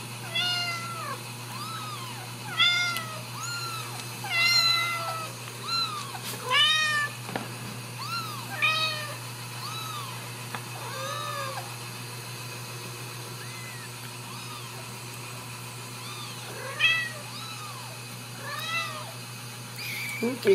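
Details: Ragdoll kittens raised in a home cattery in central Kansas, uncaged; several high, arching mews overlap and repeat irregularly, some rising then falling, with a steady electrical hum underneath and a brief human remark.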